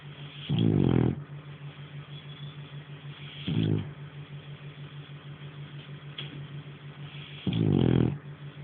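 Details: Sleeping French Bulldog snoring loudly indoors: three long, rattling, throaty snores spaced about three seconds apart, with a steady low hum running beneath.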